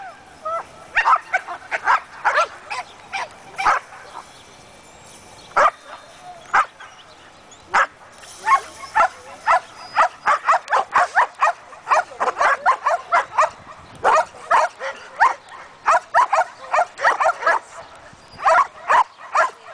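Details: Belgian Malinois, one year old, in guard and protection work: loud, punchy barks in rapid bursts of two to five, about two per second at peak, separated by short pauses.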